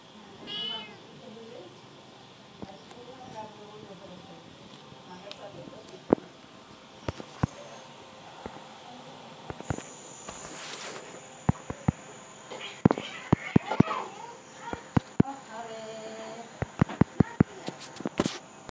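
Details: Domestic cat giving several short meows that bend up and down, scattered through the recording, with human speech, sharp tapping clicks and a steady high electronic tone in the background.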